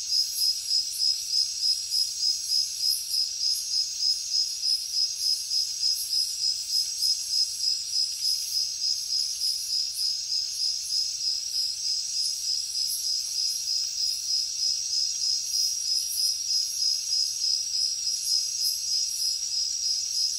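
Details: Crickets at night in a jungle setting, a steady high-pitched shrill trill pulsing in rapid, even beats about three times a second, unbroken throughout, with a fainter higher shimmer above it and no other animals or voices.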